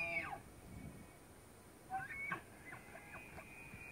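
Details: A tule elk (Cervus canadensis nannodes) bugles during the rut at Point Reyes National Seashore, a thin whistled tone sliding sharply upward, heard twice with plucked music behind.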